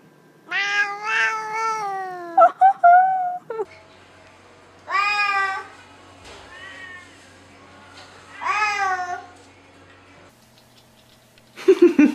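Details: House cat 'talking' in a small room: three bouts of short, rising-falling meows, the first a quick chattering string, with a brief human sound at the end.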